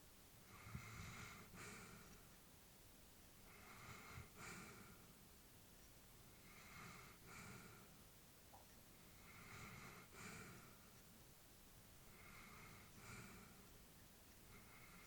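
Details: Elderly female Labrador Retriever sleeping peacefully indoors, breathing softly and steadily; each breath a gentle airy hiss with a faint snort, roughly every two to three seconds, in a quiet room.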